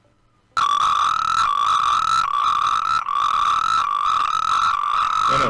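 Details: A natterjack toad gives a loud, strident, unbroken rattling trill, likened to a children's toy, in the breeding season near Tres Cantos, Madrid.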